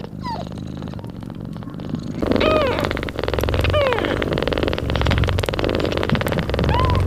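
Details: Mother cat nursing her newborn kittens, purring loudly: a steady, low, pulsing rumble runs through the whole recording, broken by a few thin, high kitten mews that rise and then fall.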